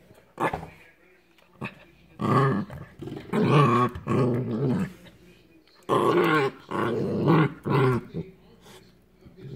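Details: Hiro, a corgi puppy, playing indoors on his first Christmas, in slow motion: long, deep, rasping growls come in sustained bursts, two around the middle and two later, with a person's voice nearby.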